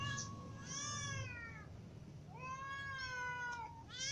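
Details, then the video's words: Hungry cats, little ones and adults with a ginger cat, calling out; two long meows, each rising then sliding down, separated by a quiet gap, another meow starting at the end, faint low background noise. "Ginger cat , little cats and adult cats all meow because they are hungry"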